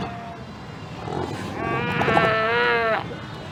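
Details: A Cape fur seal in a large colony at Cape Cross, Namibia, recorded on 19 February 2019, gives a harsh, sheep-like bleating call that wavers slightly and lasts nearly two seconds.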